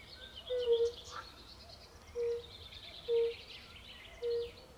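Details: Forest-pond chorus of European fire-bellied toads, Bombina bombina, in Poland: four short, mellow, low hooting notes spaced roughly a second apart, with quiet bird chatter higher up in the background.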